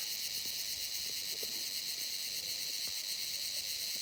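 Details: Insect calling at night: a continuous, shrill, high-pitched buzz with a fine rapid pulsing texture that holds steady throughout, over faint low background noise.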